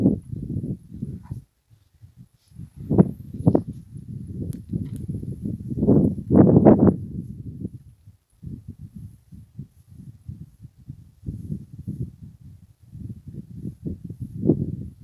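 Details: Several hyenas feasting on a hippopotamus carcass, giving low rumbling growls and grunts in uneven bursts, with a few sharper, louder outbursts between short pauses.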